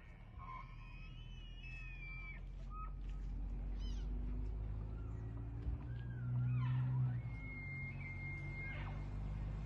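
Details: An elk from a herd bugles early morning in late August in Moraine Park, Rocky Mountain National Park: long, high whistled tones that slide and waver over a steady low rumble.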